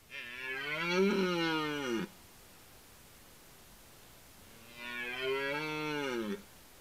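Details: Red deer roaring during the rut: two deep, drawn-out bellows of about two seconds each, rich in harmonics and slightly rising then falling, separated by nearly three seconds of quiet background.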